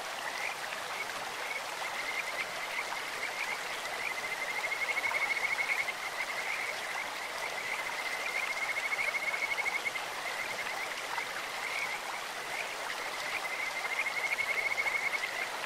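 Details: Kajika frogs in a clear stream repeat high, rippling trills in separate bouts, near five, nine and fourteen seconds, with quieter calling between and steady flowing-water hiss throughout.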